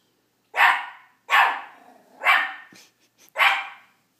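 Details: Small Miniature Pinscher Chomper barking at his own reflection, four bright sharp yaps spaced about a second apart with a brief grumble between the third and fourth.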